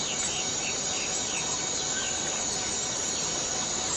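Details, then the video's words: Cicada in the Borneo rain forest: an unbroken, shrill buzz sits high and even throughout, with faint short chirps from other insects scattered beneath it. "Borneo Rain Forest Cicada - Cicada sound - cicada noise"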